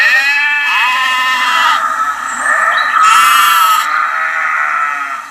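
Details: A lamb giving high, quavering bleats that run together without a break, with a louder, brighter call partway through.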